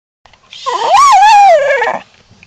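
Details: Jesse, a pet dog cast as protector of the house, filmed indoors in summer 2009: one drawn-out tonal whine lasting about one and a half seconds that rises, dips and falls away, with nothing else heard around it.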